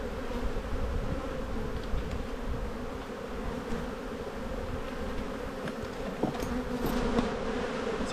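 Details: Honey bees in a bee yard during a spring buildup hive inspection in Australia, a black hive full of brood: continuous low buzzing hum with occasional louder passing bees and faint handling knocks.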